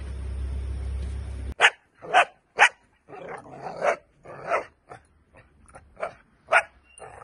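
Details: Dutch Shepherd during a training session: after a burst of rumbling noise, loud single barks come at irregular intervals, some sharp and some broader and huskier.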